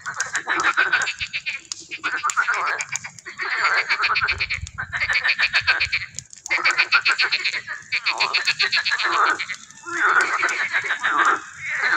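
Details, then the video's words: Frog or toad chorus in an educational pond in the butterfly garden of a park: dense overlapping rapid trills and pulsed croaks, repeated in bursts separated by short pauses, loud and continuous. "Le chant des grenouilles ou crapauds"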